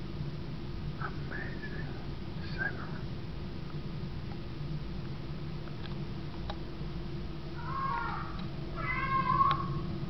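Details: Pet cat Baggins yowling indoors once the lights are out, drawn-out wavering meows near the start, then a louder run of harmonic, rising-falling cries toward the end over a steady low hum.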